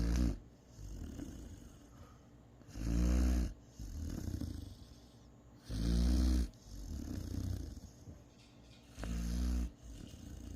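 A Great Dane puppy snores with deep, rumbling rasps about every three seconds.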